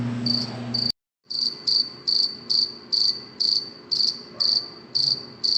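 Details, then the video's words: At night, a cricket chirps in short, high, trilled bursts, repeated about twice a second. "cricket chirping sound صوت صرصور الليل 🌃 🦗"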